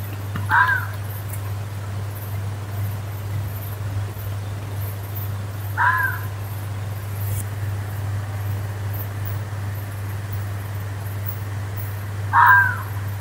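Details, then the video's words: Fox in the woods giving three widely spaced hoarse screams, about five to six seconds apart, each short and raspy, with a steady low hum and faint background noise. "Fuchs schreit/ruft im Wald - Fox screaming woods"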